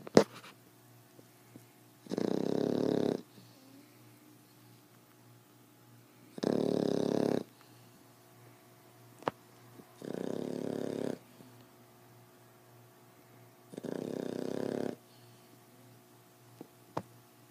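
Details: Female fawn Boxer pup, ten weeks old, snoring loud: four steady rasping snores roughly every four seconds, each about a second long, with small clicks and a quiet indoor background.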